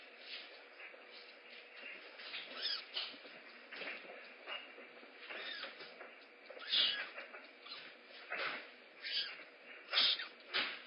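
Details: Two rehab kittens at a rescue center, waiting and wanting breakfast first; faint, short high-pitched mews rise and fall at irregular intervals over quiet background clatter and soft thumps.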